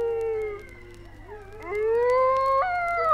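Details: A dingo (Canis lupus dingo) in Australia gives a long, smooth howl that dips low, then climbs steadily and breaks upward near the end, with a faint background hum. Recording from 1968.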